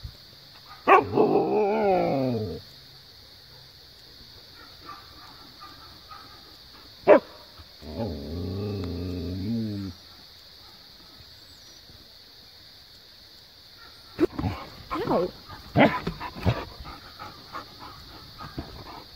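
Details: Siberian husky vocalizing at an Australian cattle dog to get off a play set and come play, the two then chasing each other; drawn-out wavering howl-like moans in two bursts, then a cluster of short yips and barks.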